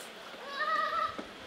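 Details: Brown fur seal (Arctocephalus pusillus) in Belgrade Zoo, Serbia, filmed in May 2022 with a Panasonic AG-CX350: a single drawn-out, tonal, bleat-like wail about one second long, rising then holding steady with clear harmonics.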